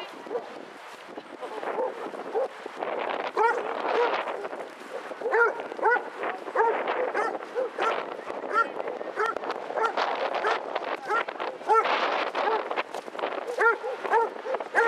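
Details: Group of 22 Basset Hounds on a walk round Hazlehead Park, Aberdeen, Scotland, on 2 February 2014. Repeated arched, mid-pitched barks and bays overlap from several dogs throughout, with people talking steadily in the background.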